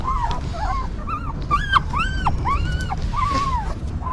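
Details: Several high, arched whines from newborn puppies cared for by a stray mother dog. Each squeal rises and then drops, with short gaps between them, over a steady low hum.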